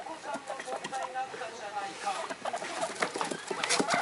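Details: Excited pet guinea pigs, three young animals kept at home, calling together; quick high squeaks and short chirping notes tumble over one another, with a television murmuring behind.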